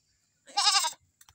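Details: A Visayan goat, newly kept as a pet, gives one short, loud, wavering nasal bleat of about half a second. A few faint clicks follow in otherwise quiet surroundings.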